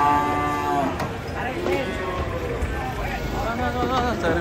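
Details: Big cattle unloading from a truck: a strong harmonic moo at the start, then wavering lowing calls beneath men's shouted warnings and chatter.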